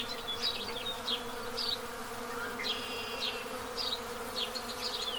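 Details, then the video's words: Honey bees buzzing at their hive entrance as the total solar eclipse passes over Pennsylvania on April 8, 2024, an even, constant drone overlaid by short repeated house sparrow chirps. "Buzzing In The Dark: How Honey Bees React To A Solar Eclipse"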